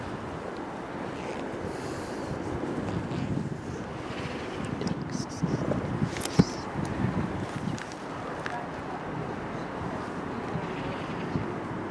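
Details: Outdoor wind buffets the microphone with a rumbling roar, while faint human speech and a few sharp knocks come through, and no animal call stands out.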